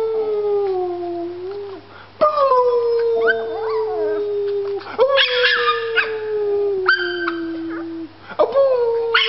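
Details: Cute puppies howling: a chain of long, steady wails, each starting with a quick upward scoop then drifting slightly lower, with overlapping yelps and a faint low hum underneath.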